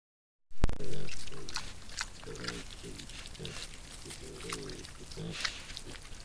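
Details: Wild boar sow with her piglets in a Sologne forest, France, caught by a trail camera: a loud knock, then short low grunts repeated rapidly, several per second, amid rustling.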